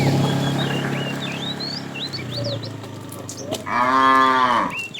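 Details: Tame cattle herded in the afternoon: a low drawn-out moo fades early, then a brighter, louder moo near the end, over steady chirping and whistling birds.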